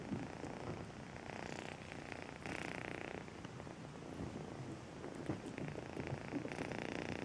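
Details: Melissa, a pet cat who came home as a two-month-old kitten, purring close up: a steady rough rumble with louder swells around the middle and near the end.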